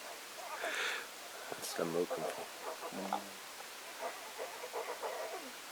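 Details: One-week-old lion cub suckling and making contentment sounds: short harmonic mews and grunting calls in an irregular run, a breathy burst early on, then softer, quieter murmurs toward the end.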